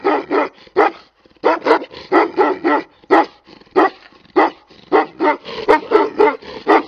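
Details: Tibetan Mastiff barking in a rapid series: loud, harmonic barks come singly and in quick pairs, about two per second, with short pauses between bursts and no other sounds.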